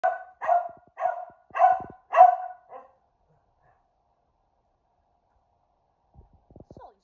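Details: A fluffy Keeshond barking, then falling silent once he notices the camera; six sharp barks about half a second apart, the last one shorter and softer, followed by silence and faint clicks and rustling.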